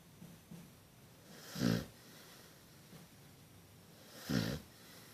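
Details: Dog wearing a cone bandage, snoring indoors: two low, rasping snores about two and a half seconds apart, with faint quieter breaths between them.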